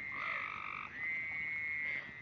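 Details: Several frogs singing together in dense, continuous high trills over a lower trill that stops partway, leaving one unbroken high drone.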